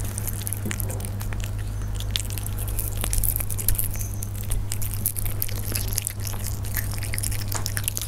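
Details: Persian cats feeding at close range, producing busy crackly bites and crunching clicks in uneven bursts, accompanied by a persistent low hum in the room.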